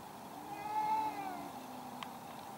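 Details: One of two angry cats fighting in a garden gives a quieter, strained yowl: a steady harmonic wail that wavers slightly and tails off downward. A steady background hiss runs throughout, with a short click near the end.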